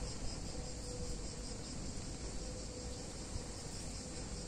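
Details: Summer cicada chorus in a picturesque Italian town on a hot day, an unbroken shrill hiss running throughout, partly covered by low-pitched background rumble.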